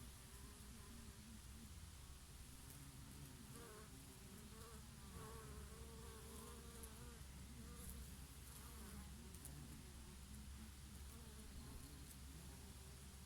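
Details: Several bees feeding on flowering oregano on a summer day, their favourite flower; overlapping buzzy hums rise and fall in pitch as individuals approach and leave, set against a gentle, continuous breeze.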